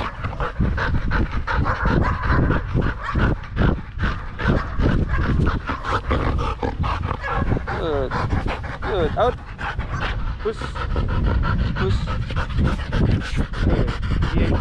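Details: Rapid rhythmic panting from Danny, a Belgian Malinois playing fetch in the Philippines, steady breathy puffs throughout, overlaid by human speech and a few brief squeaky sounds.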